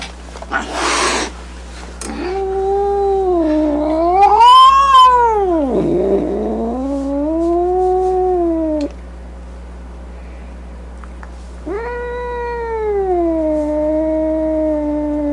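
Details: Angry domestic cat: a brief hiss-like burst of noise, then long, wavering moaning yowls that swoop up and down in pitch, a pause, and another sustained, slowly falling yowl.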